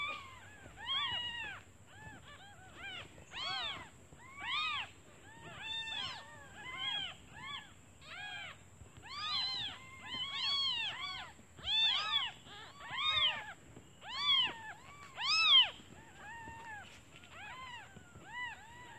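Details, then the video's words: Newborn kittens calling for their mother because they are hungry while she is out looking for food; many overlapping high, arched mews, some rising then falling, tumbling out in dense irregular bursts about once a second, with a steady faint high whine throughout. "Suara anak kucing memanggil ibunya"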